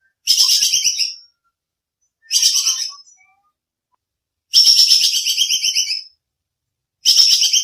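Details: Clear, sharp 'shooting' calls of a bajing kekes squirrel meant for training songbirds: four harsh, rapid-pulsed chattering bursts, the longer ones lasting over a second, separated by silent gaps.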